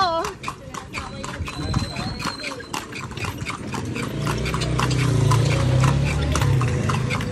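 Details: Horse being ridden through Vigan, Philippines: steady clip-clop of hooves about three to four beats a second, with a man talking over the first seconds and street murmur beneath.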